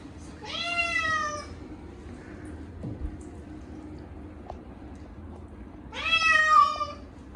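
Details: Short-legged Munchkin cat Chacha screams through a yearly bath on a hot day, indoors with catnip-infused shampoo; two drawn-out, rising-then-level wailing meows about five seconds apart, with a faint bump and quiet room noise between.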